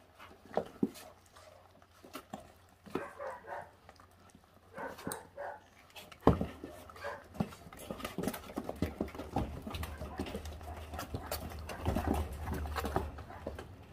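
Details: Five 28-day-old feral puppy siblings stripping raw meat down to the bone; short whimpers and yelps break through steady wet chewing, crunching clicks and a low background hum.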